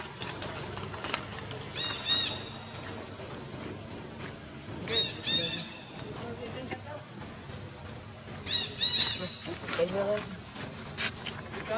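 A baby monkey cries for its mother in shrill, wavering bursts that break out every few seconds.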